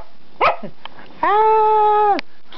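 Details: Pet dogs indoors: a sharp bark, then a long, steady, even-pitched tone held for about a second before stopping abruptly, with a person talking around it.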